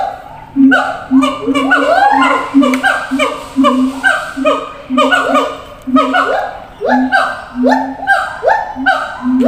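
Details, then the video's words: Captive siamang in a zoo, calling to apes housed in another cage at a distance; a continuous run of rapid rising-and-falling whoops, about two per second, layered over a low humming boom. "gibbons sound"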